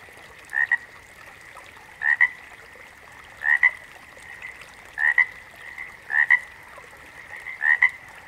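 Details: A backwater frog chorus. One caller near the front repeats a doubled croak, a rasp then a quick click, six times at uneven intervals of about one and a half seconds, above a continuous humming chorus of other frogs.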